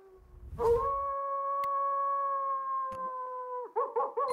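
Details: A coyote holds one long, level howl for about three seconds, then breaks into a few short, choppy yelps.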